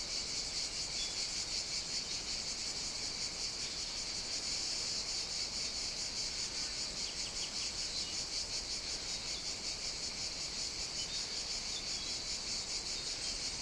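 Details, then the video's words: Unbroken high-pitched buzzing of cicadas fills a summer morning at a Sicilian outdoor caffè in Italy, pulsing slightly but never pausing. "Caffè outdoor ambience (cicadas, singing birds, distant clinking dishes...)"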